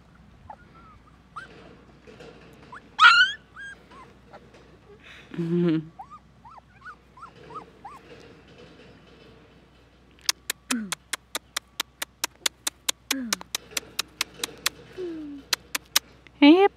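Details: Three-week-old Siberian Husky puppies giving thin, high whimpers and brief rising whines, scattered and quiet, followed by a long run of sharp, evenly spaced clicks and a last short squeal near the end.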